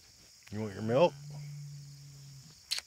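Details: Little bull calf by a white oak tree, recorded August 31, 2023, coaxed toward its mother for milk: a short rising bawl, then a long steady low hum, with a man's voice and a faint tap at the end.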